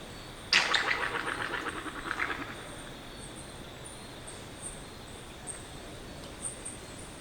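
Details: A yellow-bellied glider (Petaurus australis) in Australia gives a sudden harsh shriek that breaks into a rapid, gurgling rattle.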